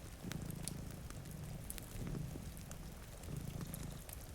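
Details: Domestic cat sleeping with a second cat in front of a rainy window beside a cozy fire: low, rumbling purr swelling in slow breath cycles, set against a constant hiss of rain and crackling fireplace pops.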